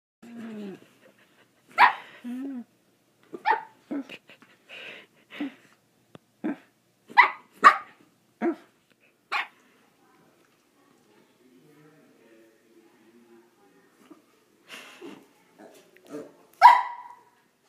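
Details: Pet dog giving a series of short barks and yips spaced irregularly, with a quiet gap in the middle and a louder final bark.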